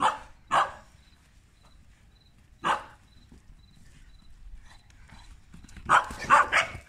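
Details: Barking while Tibetan Mastiff mother Berta plays with puppies in Kraljevo, Serbia. Two quick barks, one lone bark after a pause, then a tight cluster of louder yaps at the end.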